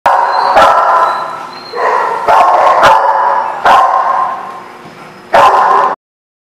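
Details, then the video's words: Dog barking in a recording dated 4/11/16: loud, harsh, tonal barks and drawn-out yelping bursts, each lasting about half a second to a second, coming in several close runs with brief gaps and sharp clicks between them. "The Barking Lot"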